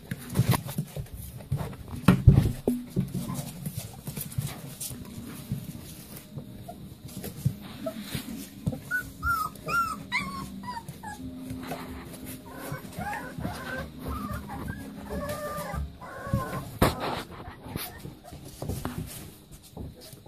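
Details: Leonberger puppies playing, long stretch of scuffling and thuds with a burst of thin, high whimpers in the middle and a few fainter whines later.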